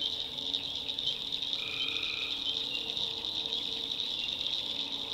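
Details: Nighttime tree frog chorus from a North Carolina backwoods swamp, a continuous shrill ringing wall of sound with one lower sustained note partway through and faint murmuring calls lower down.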